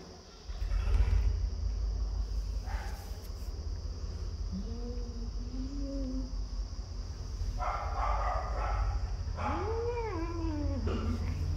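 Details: Cat giving drawn-out tonal meows: a long level call, then a later one that rises and falls in an arch, heard over a steady heavy low rumble like wind.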